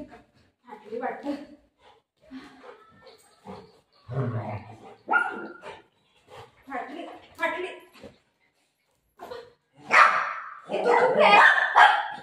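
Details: Golden Retriever at play with mom over a snatched dupatta: scattered yips and barks mixed with a woman's chatter, building to louder, denser barking near the end.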